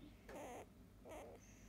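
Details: Field-line Labrador Retriever puppy, eight days old, held for the first time, offspring of biscuit, 2017 JFA grand champion; two short squeaky whimpers with wavering pitch, about a second apart, over low room hum.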